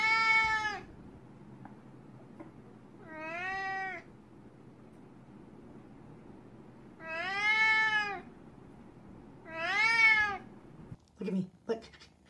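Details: A male Siamese cat gives four drawn-out, rising-then-falling meows a few seconds apart, while indoors with its owner, who offers strawberries.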